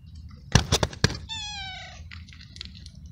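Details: Hungry stray street cat eating flying ants in the rain; a few sharp chewing clicks, then a single clear, slightly falling meow and faint scuffling.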